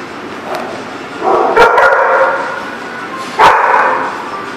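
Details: Dog barking, recorded 16 February 2018: a few sharp, loud barks stand out against a dense, noisy background of other voices and din.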